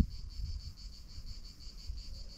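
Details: Cicadas in Alpes-de-Haute-Provence on a hot early-summer day (32°C, near 5 pm) start singing, the day's first; not close, down in the valley among olive trees, a steady high buzzing drone over low rumbling background noise.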